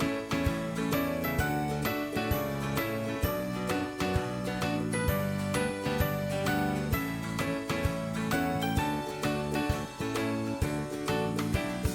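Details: Cheerful tinkling, bell-like music plays steadily from start to end with no animal voice heard.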